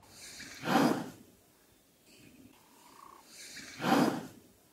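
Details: A black rhino in Southern Africa gives two sharp, breathy snorts about three seconds apart, with a faint, brief tone heard between them.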